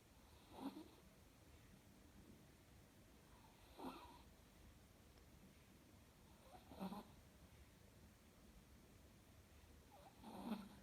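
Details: Sleeping Chihuahua snoring indoors: four breathy, rasping snores roughly every three seconds, each a broad low rumble with a faint whistled edge, separated by quiet breathing.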